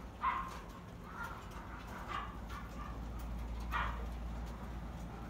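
A guinea pig gives short, scattered squeaks over a steady low background hum.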